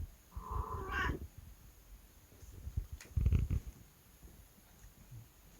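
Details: House cat indoors, known for sudden outbursts, lets out one short, bright meow at the start, followed by low thumping and rustling noises with no further calls.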